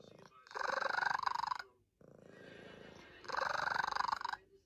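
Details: Sleeping cat snoring: two long rasping, finely pulsed breaths of about a second each, with a quieter buzzing breath between them, in a quiet indoor room.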